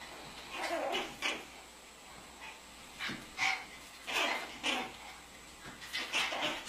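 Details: Pomeranian family of dogs yapping: short, sharp, high-pitched barks in irregular bursts, some paired in quick doublets, about ten over several seconds, with brief quiet gaps and faint low background hum.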